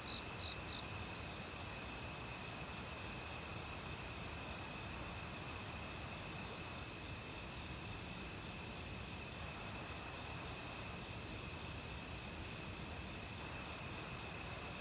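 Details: Crickets singing in an autumn forest together with other insects, a valley stream running nearby; bright, piercing pulses recur about every 1.5 seconds, with sustained whining tones and brief mid-pitched trills over a constant wash of flowing water.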